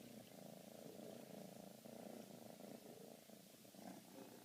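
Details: Fifteen-week-old Siberian kitten purring while cuddled, a close, steady pulsing rumble that rises and falls with each breath throughout.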